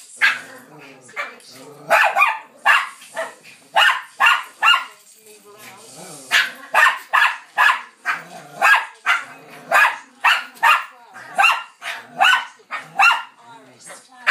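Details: Bichon Frise dog and a Lowchen racing about on a settee in a playful mad moment indoors; rapid, repeated sharp barks in quick volleys, roughly two per second, with a brief lull midway.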